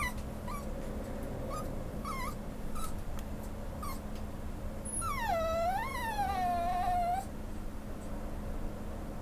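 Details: Male Schnauzer awaiting a new home at a pet shop gives a few faint short whines, then one long wavering whimper that dips and rises for about two seconds, with low hum throughout.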